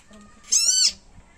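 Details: Tiny frog bitten by a snake, giving a loud cry: a single shrill, high-pitched scream lasting under half a second, slightly rising then falling, over quiet background.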